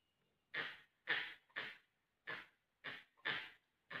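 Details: A barking deer (Muntiacus muntjak) in Bandhavgarh Tiger Reserve gives harsh, hoarse alarm barks about twice a second, warning of a tiger going out to hunt nearby.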